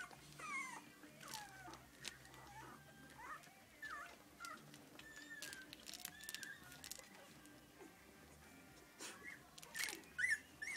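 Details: English Cocker Spaniel puppies, three weeks old, in their litter: scattered high whimpers and squeaks come in loose bursts, broken by clicks and shuffling, with quieter stretches between cries.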